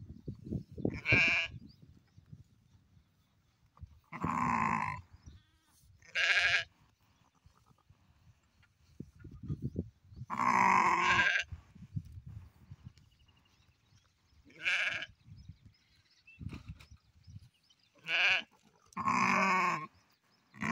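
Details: Black sheep bleating again and again: about seven loud, quavering, harmonic cries, some long and some short, spaced a few seconds apart over a quiet low rumble.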